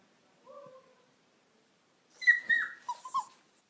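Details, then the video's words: Puppy crying: a faint, short, level whine, then after a pause a louder burst of high, wavering whimpers and yelps that rise and drop in pitch over about a second. "Puppy Crying Sound Effect"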